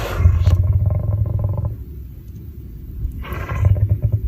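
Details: A lion gives a sharp explosive sneeze at the start that fades into a long low rumbling exhale, followed by a quieter pause and then a second breathy burst with deep growly rumbling near the end.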